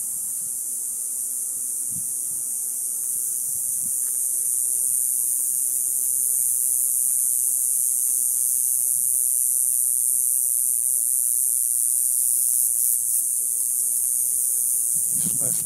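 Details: Cicadas buzzing in an Ocotillo tree at dusk, just after sunset, in the summer heat. A steady, intense high drone grows a little louder, with scattered low thumps and a rustle near the end.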